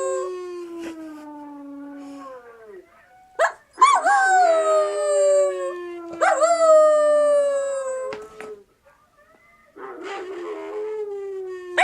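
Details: Siberian Husky puppy howling: several long tonal howls, some sliding downward, others starting with a sharp rise then easing lower, separated by short gaps and brief yips.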